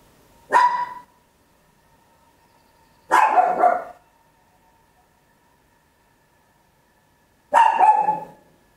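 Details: Papillon, a small dog, barking very loud indoors, stereo Olympus LS-11 recording: three separate barks, the middle one longer and rougher, with gaps of two to four seconds between them.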